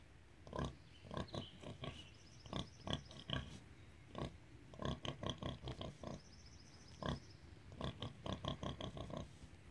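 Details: Feeding-time song of Rosie, a Hereford sow with piglets: quick bursts of rapid, low grunts in rhythmic runs, pausing briefly between bouts, with faint high squeals mixed in.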